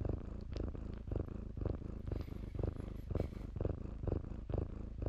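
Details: Low, throbbing purr of kittens playing among blankets at a shelter, about two breath pulses per second, steady and close, with light rustling and a brief scratchy sound midway.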